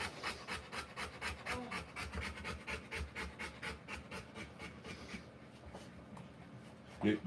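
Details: Rottweiler mother giving birth, panting in regular hoarse puffs for about five seconds, then the breathing quiets, with a faint voice and a short sharp noise at the close.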